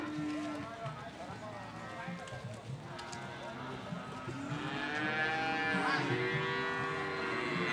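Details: Market cattle at Ambarketawang, Gamping, Jogja, Indonesia: voices and general bustle at first, then long, wavering moos swell louder in the second half over the crowd noise.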